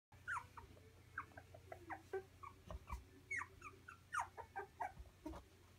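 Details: Three-week-old Labradoodle puppies whimpering and yipping: short high squeaks and whines overlap in quick irregular bursts from several pups, with a steady low hum underneath.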